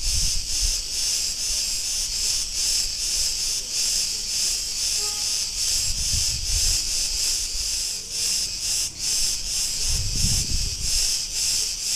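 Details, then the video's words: Cretan cicadas singing in a street in Ierapetra, Crete, Greece: a dense, continuous high buzzing hiss with a steady pulsing texture, plus low rumbles of passing traffic or wind around six and ten seconds. "Cretan cicadas sounds"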